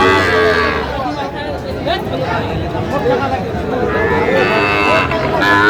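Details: Sahiwal bull calves sold at Aftabganj cattle market to Dhaka farmers, 16 August 2025. Short moos rise above busy background talk and bustle, with a longer bellow near the end.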